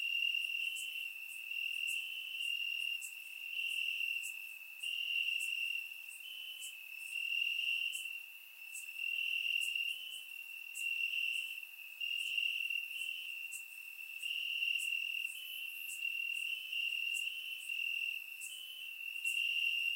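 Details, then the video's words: Night chorus of crickets in the grass, Bulgaria, warm summer evening, surround-mic recording: continuous high-pitched trilling that swells and fades in rhythmic waves, overlaid by scattered brief ticks. "Cricket Sounds - Crickets Chirping at Night"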